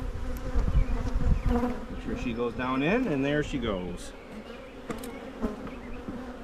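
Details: Honey bees humming at hives being split in Michigan to head off swarming; a steady low droning buzz runs throughout with a few louder surges, while a human voice speaks briefly in the middle.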